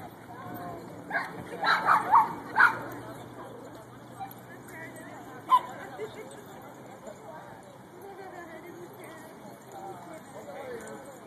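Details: Playing with another dog at Fullerton's Pooch Park, 10-month-old Shiba Inu Mika gives a quick run of four loud barks early on, then one single bark a few seconds later, over low background chatter.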